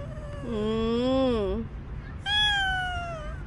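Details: Stray cat Bolt, filmed for the last time after a year and five months nearby, utters two long meows: a lower wavering one that rises and falls, then a higher, clear meow sliding downward.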